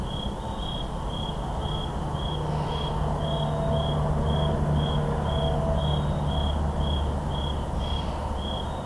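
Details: In a forest after dark on October 10, 2023, crickets trill in a rapid, even series of high pulses, close to four each second, while distant highway traffic drones low underneath; two Shure SM7B microphones.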